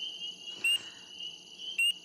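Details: Spring peeper, a tiny early-spring frog under an inch long, gives loud, clear rising peeps about a second apart over a steady high chorus.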